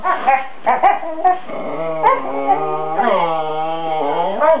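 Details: Two Siberian Huskies playing together on bean bags, 'talking': short yelping yips and grumbles open, then long, wavering, harmonic whine-howls that slide up and down in pitch, one drawn out for several seconds.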